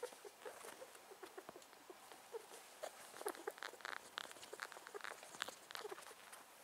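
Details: Male pet rat thought to be sick; faint, rapid run of crackling snuffles and small sneeze-like squeaks, irregularly spaced, louder in the middle, over light rustle.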